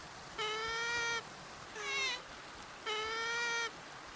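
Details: Sea otter giving three drawn-out, harmonic squealing calls, each under a second long, steady in pitch, with short pauses between; a faint hiss lies underneath.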